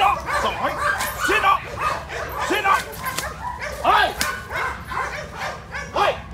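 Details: German Shepherd being trained to attack on command, giving a dense run of loud, harsh barks about once a second throughout, mixed with shouted commands and background voices.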